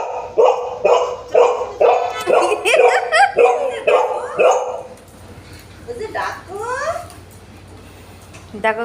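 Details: Golden Retriever at home, jealous and uncomfortable while another dog is petted, barking in a run of steady, loud barks about twice a second, then giving high rising whines. Bengali speech is heard alongside.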